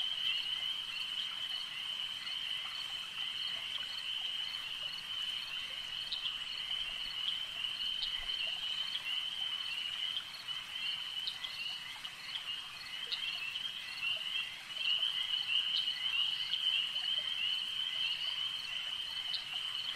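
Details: At a lake, a chorus of frogs keeps up a long, even high-pitched trilling drone, overlaid by sharp scattered clicks and brief louder bursts toward the end.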